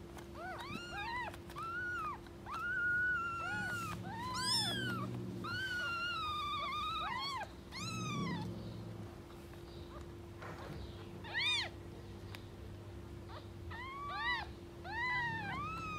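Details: Street-living stray cat family: a mother cat defending her kittens from anyone approaching. Many high, arched meows in quick bursts, some long and wavering, spread through sixteen seconds with a constant background hum.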